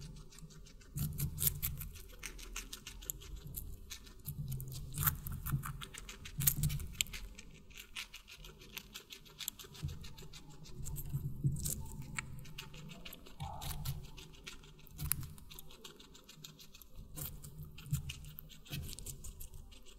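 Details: Guinea pig feeding on watermelon, recorded up close: long stretch of moist, crackling chewing with regular bites rising and falling every few seconds, steady throughout.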